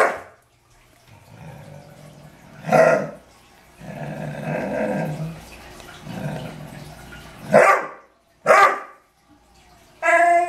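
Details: Pet Dobermann named Archer, annoyed by deer in the yard, gives low drawn-out growls between sudden loud barks, with a higher whining yelp at the close.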